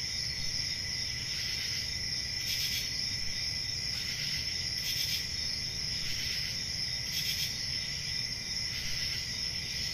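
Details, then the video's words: Summer-night forest crickets give unbroken, high-pitched trills stacked in steady bands, with brighter chirping bursts roughly every one to two seconds over a low background hum. "Summer Night Cricket Sounds"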